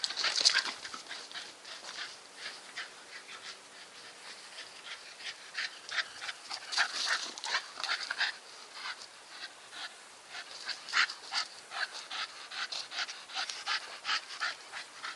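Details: Nikita, a Staffordshire Bull Terrier, panting in quick, breathy bursts, roughly three per second, uneven in spacing and loudness over fifteen seconds, with a quiet stretch in the middle before the panting strengthens again.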